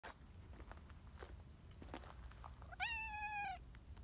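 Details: Talkative, affectionate brown tabby community cat at an outdoor cat gathering in Japan, giving one clear, drawn-out meow with a slight rise then gentle fall, after soft rustling and footsteps.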